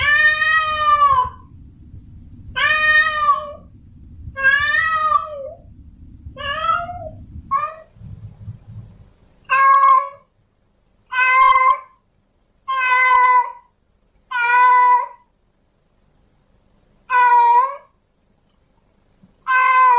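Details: Male domestic cat in heat calling for a female: drawn-out harmonic meows, about a second each, repeated roughly every one to two seconds, with a low rumbling noise under the first half.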